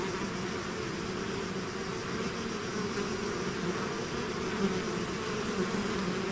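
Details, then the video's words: Constant whirring of a bee swarm that has left its hive, a thick low drone with individual bees flaring slightly louder now and then as they fly close. "bees therapy swarm natural buzzing sound"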